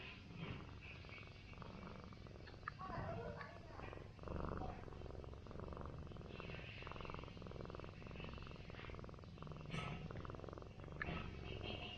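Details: Orange village cat, rested after a whole night of brawling with feral cats and a day asleep on a stool, purring under a massage, an unbroken low rumbling drone with faint rustling on top.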